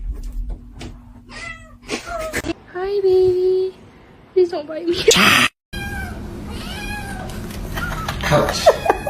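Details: Domestic cats in a cat fight: a string of short rising meows, then a long, steady, drawn-out wail lasting about a second, followed by more wavering cries after a sudden cut to silence, with human speech and household noise mixed in throughout.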